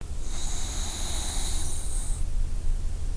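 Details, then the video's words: A sleeping puppy snoring: steady low, rumbling breaths throughout, with a thin high whistling tone running over the first two seconds. "Enjoy company with snoring puppy!"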